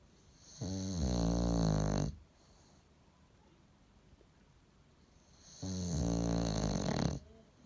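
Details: Sleeping pet bulldog gives two deep, throaty snores about five seconds apart, each lasting roughly one and a half seconds, with near silence between breaths in a quiet room.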